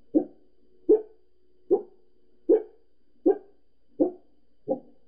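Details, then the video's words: Pembroke Welsh Corgi indoors barking at people seen outside next door: seven sharp, even barks about 0.8 seconds apart, with a faint steady hum underneath. "Gizzy Barking"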